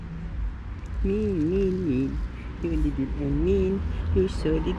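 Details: Street cats, mean and angry with one another, suddenly attacking and fighting: drawn-out wavering yowls that rise and fall, two long ones followed by shorter broken cries, over a low rumble of traffic.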